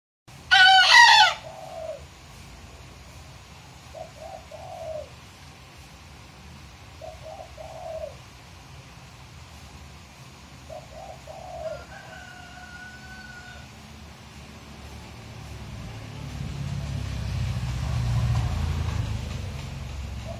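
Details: ['Young bekisar rooster in Magelang, Indonesia, just learning to crow, having first crowed about three days earlier: one loud, harsh, broadband burst near the start, then a few faint, short, hoarse notes over steady low background rumble.']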